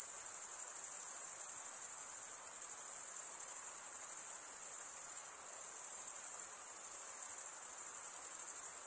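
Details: Crickets, males stridulating by rubbing one wing's toothed vein against the other, make a continuous, dense, very high-pitched shimmering trill that holds steady throughout with only slight swells in loudness; no other sounds are present.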